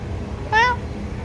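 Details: Street cat being fed outdoors gives a single short, clear meow that rises then falls, about a quarter second long, over low background rumble.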